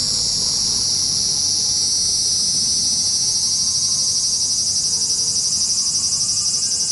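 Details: Steady, shrill cicada buzzing recorded in Japan, a dense high drone throbbing about four times a second without a break, with faint scattered lower tones in the background.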